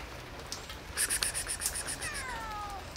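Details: Hungry cats fed outdoors on a rainy Sunday morning; a falling drawn-out meow near the end follows a burst of clinking and tapping sounds, with rain patter in the background.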